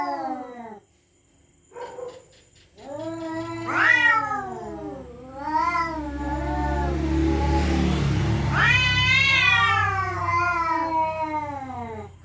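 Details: Cats at night threatening each other over territory, giving drawn-out, bending yowls that swell and fade. A low rumbling noise rises under the middle wails, and a loud rising-falling yowl ends the sequence.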